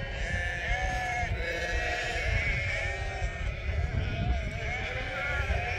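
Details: A large flock of local Merino sheep, hundreds strong, calling out in greeting on a farm. Dense, unbroken layers of quavering bleats, some higher and some lower, over constant low background noise.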